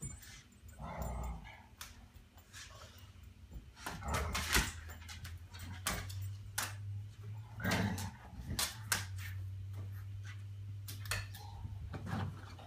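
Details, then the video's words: Walter the Bulldog puppy and Covina the American Mastiff playing indoors in a small room; low rumbling growls and scattered short huffs and yips come in irregular bursts, with scuffling and thumps of movement. "Walter the Bulldog puppy and Covina the American Mastiff play"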